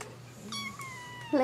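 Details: Kitten giving a single short, flat meow indoors that tails off slightly, followed by the start of another higher cry, over a constant low hum.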